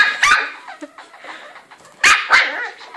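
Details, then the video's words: Angry West Highland White Terrier barking: two bursts of sharp, harsh barks, one near the start and a double bark two seconds later, with quieter growly yaps between. "Angry westie"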